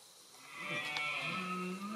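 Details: A red deer stag in Zamora, Spain, late in the 2021 autumn rut, gives a drawn-out, moaning bellow about two seconds long. It starts low and swells slightly upward over a faint background hiss.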